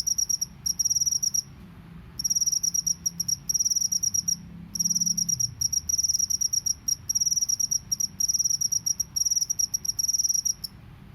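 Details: Natural field cricket call: shrill, buzzing pulse trains repeated in bursts of about one to two seconds separated by brief silences, over a soft low background hum.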